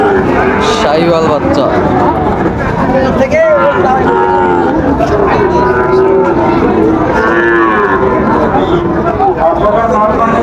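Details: Sahiwal bull calves for sale at the opening of Raniganj cattle market in Dinajpur on 30 September 2024; repeated drawn-out moos rise and fall over a steady market hubbub with occasional voices.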